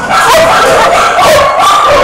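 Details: Several puppies crying together, a dense chorus of high, wavering whines and short yips, steady and loud throughout.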